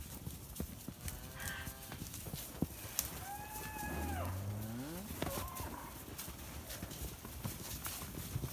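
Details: Red Poll cattle in the woods: a low bellow near the middle slides upward in pitch with bright overtones, followed by a shorter higher tone, over constant rustling and scattered knocks like hooves on the ground.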